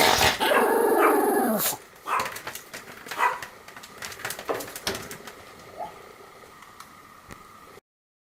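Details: Pomeranian dog's morning and night greeting: a tonal, wavering whine lasting under two seconds, then several short, breathy yaps and huffs that grow quieter and end in silence.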